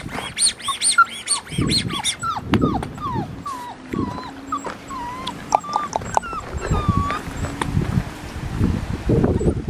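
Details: Blue merle male Australian Shepherd puppy, 4.5 weeks old, at Fifteen Acre Farms in Tahlequah area, Oklahoma, on 27 September 2021, gives a run of high, thin whimpers sliding down and wavering, repeated roughly twice a second, with soft handling noises.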